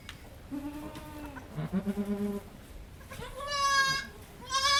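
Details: A farm goat in labor, delivering the second of triplet kids: a quavering, pulsed bleat, then longer loud harmonic bleats near the end, with human voices encouraging her.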